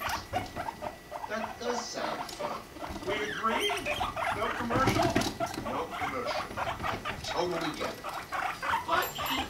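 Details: Mating pet guinea pigs, Rumply with five-month-old Fluff; dense stuttering chirps and squeaks at a fast irregular pace, with faint low rumbling beneath.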